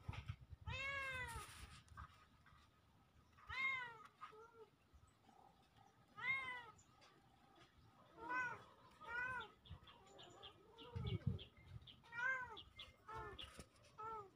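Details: Kittens recorded on October 17, 2024 meowing repeatedly, short arched harmonic mews coming roughly every one to two seconds, some bursts doubled, over a faint steady hum and occasional low thumps.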